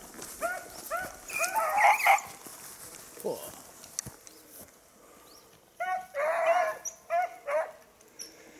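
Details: Beagle hunting on 19 October 2022 after losing a hare; short bursts of high, ringing yelps and bays, an early pair, a loud cluster near two seconds, then a fresh volley of repeated cries after a quiet spell, with faint rustling.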